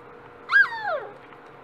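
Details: Dachshund puppy, one of a litter of four almost 8 weeks old, giving a single clear whining cry that rises sharply then slides down in pitch over about half a second, in a quiet indoor setting.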